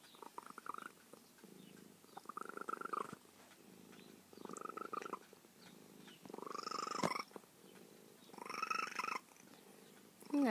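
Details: Female feral cat, trapped and fixed years ago and now close to her carer, purring steadily while giving five drawn-out, slightly rising chirping trills about two seconds apart, each louder than the last, in a quiet room.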